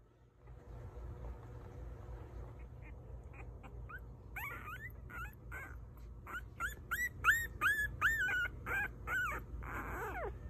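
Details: Puppies whimpering: after a quiet start, a run of short, high, whining cries begins, each rising then falling, coming in quick bursts about two or three per second and growing louder toward the end.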